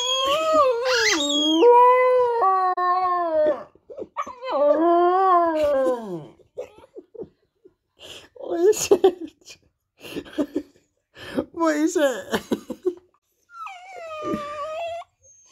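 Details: Border Terrier pup vocalising back at his toy indoors, drawn-out bending howls followed by bursts of short yips and whines, then a final wavering howl.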